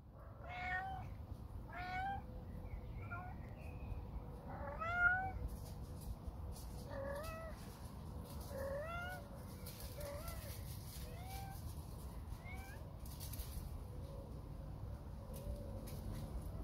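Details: Mother cat in a colony calling her kittens to show them to the feeders: about a dozen short, clear meows, some rising then falling, spaced irregularly over the first twelve seconds, above a steady low rumble of background noise.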